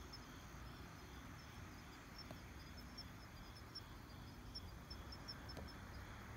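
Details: Kanetataki cricket at night during a night collecting outing, 26 October 2019; faint, high metallic ticks in short irregular runs over a steady high insect drone and low rumbling background noise.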